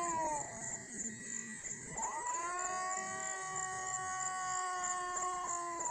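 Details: White cat and brown cat crying in a quieter passage: a falling note, then a long steady, sustained moaning tone held for several seconds with faint background hiss.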